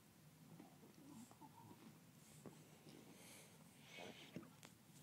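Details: Female pug puppy, newly acquired, playing and keeping herself occupied: quiet breathy snorts and wheezes scattered through, with a sharper burst of snuffling near the end over a low steady background hum.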